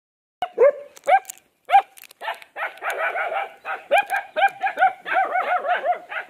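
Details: Pet golden retriever barking: three separate sharp, high-pitched yelping barks spaced about half a second apart, then a quicker run of similar clipped barks, each with a brief rising then falling pitch, in a quiet setting.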